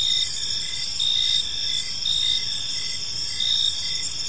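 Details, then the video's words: Crickets in a park at evening, their shrill continuous trilling punctuated by short chirp bursts about once a second, forming a calm, even insect chorus. "Cricket Sounds in a Peaceful Park"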